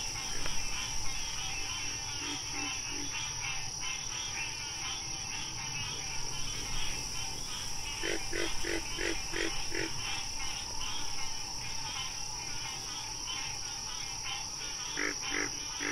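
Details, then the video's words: Wild frog calling in a nature recording: short bursts of four to five rapid, evenly spaced clucking notes, repeated at intervals over a continuous dense, buzzing pulsed chorus with a steady high hiss. "Frog Sounds"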